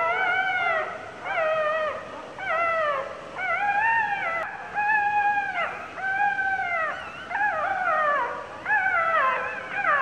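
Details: Newborn puppy, two days old, crying in pain while its mother sits on it: high, arched whining cries with strong harmonics, rising then falling, repeated roughly every second in a steady series.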